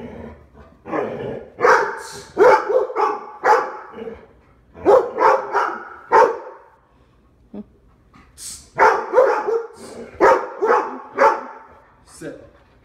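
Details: Barking by Labs Dale, Lola and Max at their Omaha home door, part of a habit of jumping up and demanding attention; bursts of loud barks run for a few seconds, then a quiet gap, then a fresh volley.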